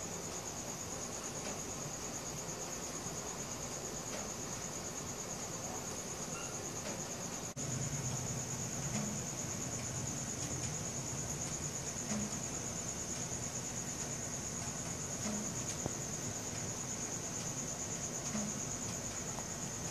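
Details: Crickets at night, recorded on a Samsung Galaxy S4: a steady, high, finely pulsed trill runs without pause throughout, over a low rumbling background hum that grows louder after the midpoint.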